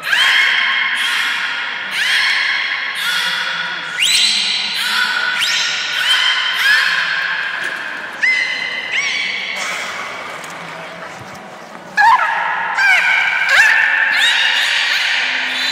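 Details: Captive beluga whale at Port of Nagoya Public Aquarium, 30 March 2019, eating fish in an unusual way and then at play; squeaky, harmonic calls that rise and fall, coming roughly every second, with sharper bursts toward the end.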